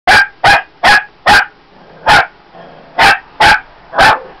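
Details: Shih Tzu puppy, female, barking at a bottle of lavender oil indoors: eight sharp, high yapping barks in quick succession, roughly three every second, with a brief pause near the middle.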